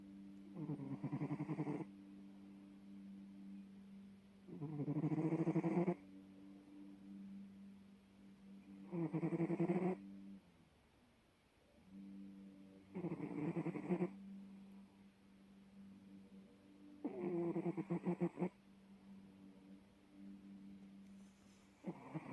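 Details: Sleeping Bengal cat snoring softly: low, rough buzzing breaths in bursts about a second long, repeating roughly every four seconds with near-quiet pauses between.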